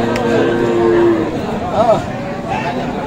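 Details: Sahiwal dairy cows and calves at Aftabganj cattle market in Dinajpur, Bangladesh: a drawn-out, low mooing call with steady harmonics sounds early, then fades into a busy mix of people talking and market crowd noise.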